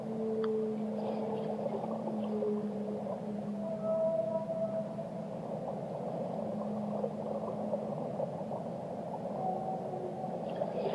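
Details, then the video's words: Singing whale: long low moans that slowly fall in pitch, with short higher whistled notes overhead, all against a steady deep ocean background. "Relaxing Whale Songs - Immerse Yourself in the Melodies of the Deep"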